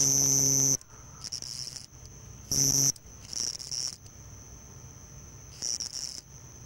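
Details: Summer nightfall chorus of house crickets outside dwellings on the Gulf of Tunis coast, Tunisia, males calling from burrow entrances: a continuous thin high trill broken by several loud buzzy bursts, a strong one opening the recording.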